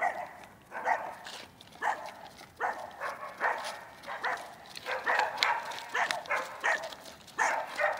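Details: Barking from a Rough Collie puppy named Manakel Lakefield Talking Blues, recorded in training on 13 April 2015: quick, fairly high, harmonic yaps coming roughly every half second to second, some doubled.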